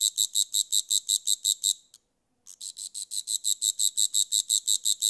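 A grasshopper gives rapid, high-pitched buzzy pulses, repeated steadily several times a second with a brief pause.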